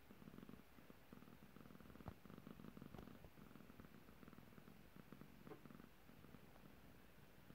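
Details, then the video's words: Domestic cat described as annoyed and a little grumpy, indoors; a low, pulsing rumble runs almost continuously, steady and throaty, with faint clicks and a soft room background. "Annoyed cat"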